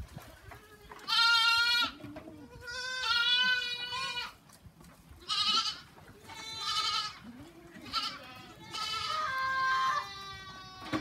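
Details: Several bleats from goats on a farm follow each other about every two seconds. They are wavering and nasal, some high and strained, some lower, over light background noise.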